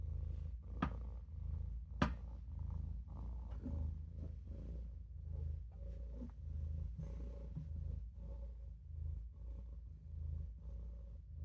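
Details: Olof, a Maine Coon kitten, purrs as he naps in the sink, a low continuous throb pulsing with his breathing, broken by a couple of sharp clicks early on.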